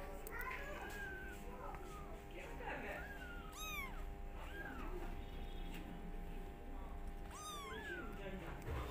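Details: Kittens running into family members' feet indoors, giving high, arching meows that rise then fall, two clearest near the middle and end, with smaller mews between, over voices and a steady low hum.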